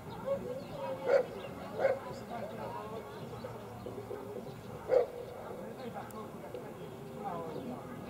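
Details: Cane Corso Allison Gulieta´s paradise at the 2017 Czech ZVV3 working trial championship in Nýřany lets out three short, deep barks near one, two and five seconds, with steady human talk and crowd murmur beneath.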